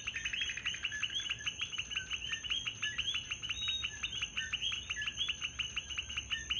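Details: Many coquis in Puerto Rico keep up an intermittent chorus of quick, high, slightly rising chirps that overlap continuously, with a constant thin high-pitched hum behind them.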